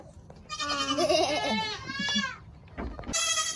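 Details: Young goat kid from the 2022 kidding season bleating loudly: a wavering, quavering cry lasting nearly two seconds, then a short pause and the start of another bleat.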